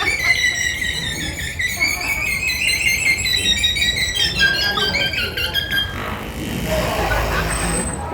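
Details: A captive killer whale at SeaWorld Orlando gives a long, high squealing whistle with bright overtones that slowly slides downward. The sound is produced through its blowhole, not its mouth.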